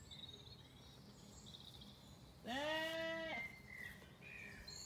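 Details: Single wavering bleat from a Zwartbles lamb in a farm orchard, County Kilkenny, Ireland, on a warm evening, lasting about a second amid quiet background with high chirping birds before and after.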